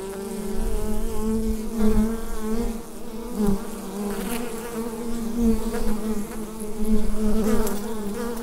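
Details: Hive of bees humming together, captured on a USB microphone; a continuous low droning buzz with layered wavering tones that rises and falls in waves, plus occasional soft taps.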